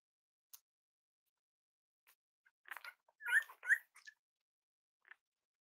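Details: Cavalier King Charles Spaniel puppies playing with each other and exploring indoors during potty training; a brief cluster of high, squeaky whimpers and yelps, two clearer rising squeals in the middle, with faint scuffling and clicks around them.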